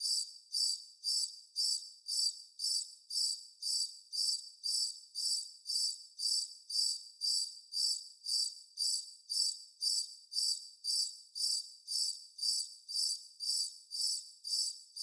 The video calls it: CRICKET SOUND EFFECT